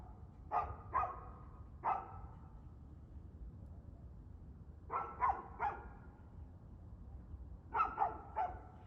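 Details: Dog barking on 2/6/2024 at 6:02pm: sharp barks in quick bursts of two or three, separated by pauses of a few seconds, over a steady low background hum.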